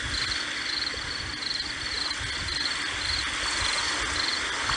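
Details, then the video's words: Shrill, pulsed cricket chirps, about eight short bursts, sound over a constant hiss of waves washing on the shore. "海浪蟋蟀声，Sea Waves+Cricket Sound"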